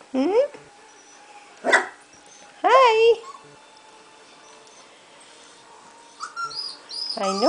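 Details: Three-week-old golden retriever puppies from Khloee's litter, just starting to move about in their pen. Several short, high yelps arch up and then drop, with some clustered near the start and one at the end. A person speaks softly between them.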